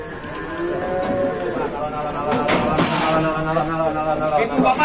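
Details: Cow at an Indonesian cattle market moos steadily while clanks, knocks and nearby talking break through the lowing.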